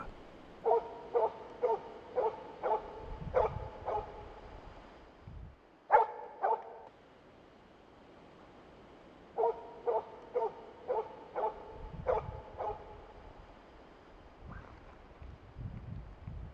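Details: An experienced older Finnish spitz moose-hunting dog bays at a moose about 400 m away in dense autumn forest in southern Central Finland, holding it for the hunter; steady runs of sharp, mid-pitched barks, about two each second.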